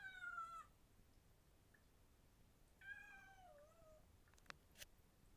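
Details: Male house cat sniffing around his new home, playing with water at a sink; two clear meows, the first brief and falling, the second longer and wavering downward, followed by a few light taps and clatters indoors.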